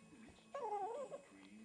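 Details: Pekingese dog begging for food, giving a single short, high wavering whine that rises and falls for about half a second; a person nearby asks about cheese.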